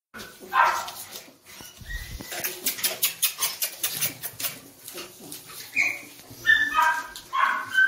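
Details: Doberman puppies, a female and a male, giving short high whimpering yelps, one near the start and a cluster of quick tonal squeals toward the end, with rustling and handling noise between.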